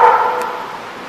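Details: A dog at The Barking Lot in RI, recorded 1-20-14, gives a single loud bark that trails off over about a second, with its mid-pitched energy slowly fading.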